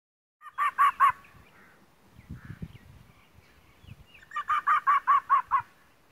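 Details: Fox. A fox barks in two short bursts of rapid, harsh yaps, each note clipped and ringing, several in quick succession. Between the bursts come low thumps and rustles close to the recorder.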